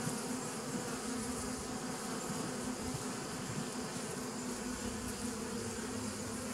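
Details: Bees recorded on 27 September 2018, a dense steady droning hum with strong low-pitched bands and a hissy upper layer, holding an even loudness throughout with no breaks or other distinct sounds.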